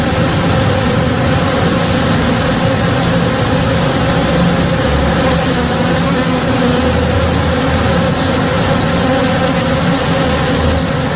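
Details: Honey bees working in a flowering backyard tree in the morning: a dense, steady humming drone that never breaks, layered with low buzzing tones, while faint brief high chirps flicker above it now and then.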